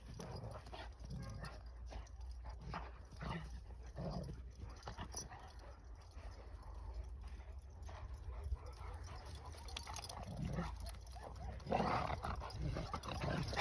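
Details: Akbash dogs out on a play and training outing give a loose series of short, rough barks and whines at irregular intervals, over steady low wind rumble.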